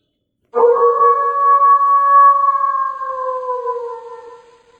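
A wolf gives one long, smooth howl that holds steady and then sinks slowly lower.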